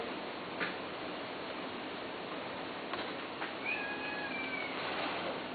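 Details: A Persian (Himalayan) cat gives a drawn-out, wavering yowl during mating between a male and a female, over a steady background hiss.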